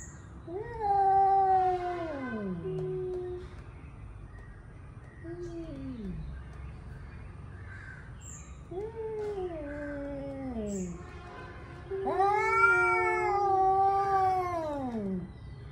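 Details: Male cats angrily warming up for a fight, trading a series of wailing yowls that rise and fall, some short and sliding down, ending in a loud sustained howl.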